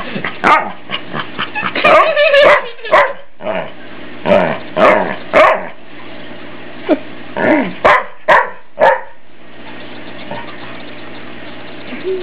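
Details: Family dog Ike barking while being teased in play by his family, sharp barks in irregular bursts, roughly two per second at first, then spaced farther apart, with a steady low hum behind.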